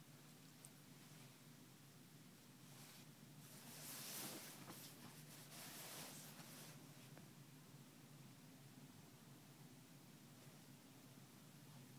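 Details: Soft hiss and rustling that swells briefly in the middle, with no animal call.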